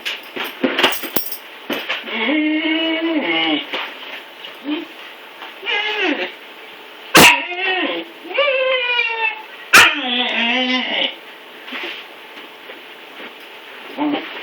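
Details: Male Siberian Husky puppy whining while struggling to climb stairs after being neutered; a series of high, wavering, rising and falling whines in bursts, with a couple of sharp knocks and faint room noise.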